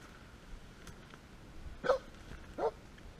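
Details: A Polish Hound during a driven wild boar hunt in November gives two short, sharp barks, spaced under a second apart, over a faint hiss.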